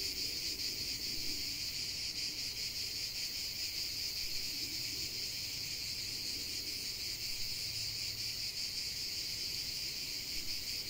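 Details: Steady high-pitched cicada chorus outdoors, a shimmering buzz that never breaks, finely pulsed, over a faint low hum in the background.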